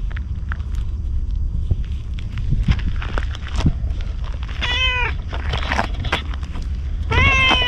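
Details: Stray ginger tabby cat approaching a man as if asking for protection, filmed on a GoPro HERO8; two clear meows, the first near the middle and the second at the end, each a short, bright cry that rises then falls, over low rumbling background noise.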